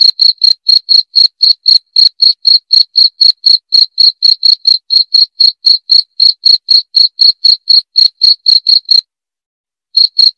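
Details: Cricket sound for repelling rats: clear, shrill chirps pulse regularly about four times a second, then stop for about a second before resuming briefly, with no background noise.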